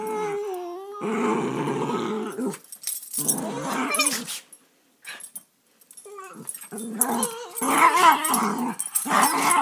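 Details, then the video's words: Two rescue dogs, rat terrier/Boston terrier mix Sammy and beagle/Boston terrier mix Tiki, play rough inside; a whiny growl opens, then noisy growling bursts, a near-silent pause, and louder scuffling snarls toward the end. "Mean Puppies Playing"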